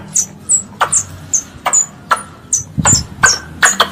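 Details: Pest squirrel calling for its mother, giving high piercing down-slurred squeaks alternating with short sharp ticks at a quick, uneven pace; a soft low rumble sits in the background.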